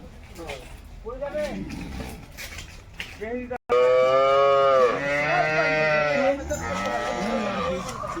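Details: Jersey cattle at a wholesale cattle market: a few short, soft lowing calls in the first seconds, then one loud, drawn-out harmonic moo after a brief gap, with faint market clatter behind.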